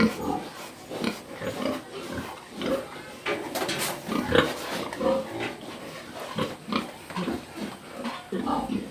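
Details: Rhythmic pig grunting, each hoarse grunt following quickly on the last, with a couple of brief squeaky notes midway and a human voice faintly mixed in.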